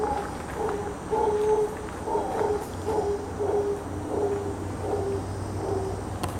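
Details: Howler monkeys in rainforest at Braulio Carrillo National Park, Costa Rica, give deep, throaty roaring howls in a steady pulsing series that resemble dogs barking, with a low background rumble.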